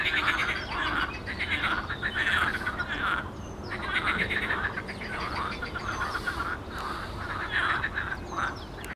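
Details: Chorus of frogs in a pond, 12 May 2022, with bursts of fast pulsed croaking rising and falling every couple of seconds, plus a few faint higher chirps mixed in.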